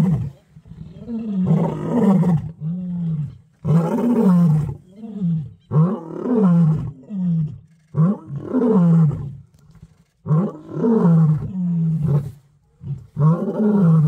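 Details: Territorial roaring from two male lions in Kruger National Park, a long series of deep, throaty grunts, each sliding downward, delivered in uneven bursts roughly every two seconds with short pauses between.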